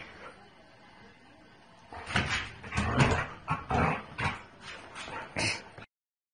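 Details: Black Bassador, a Labrador Retriever and Basset Hound cross, playing with a black cat: a run of short whimpering yips and scuffles over about four seconds, with soft background voices.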